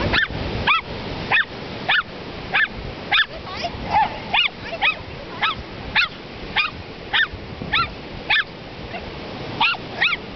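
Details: Two dogs, one big and one little, playing in the surf at Ocean Park, WA, bark sharply again and again, roughly once a second in a loose rhythm, with surf rushing in the background.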